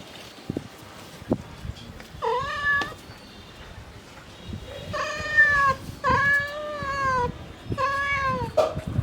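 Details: Mother domestic cat calling for her kittens: three drawn-out, harmonic-rich meows, the first short and rising, the later two longer and slightly wavering, separated by pauses with faint clicks and rustling in the background.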